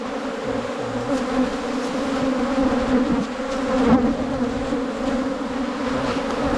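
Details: Droning hum of wild cavity-nesting honey bees during a honey hunt in rural Thailand, steady and continuous with a brief louder swell near the middle.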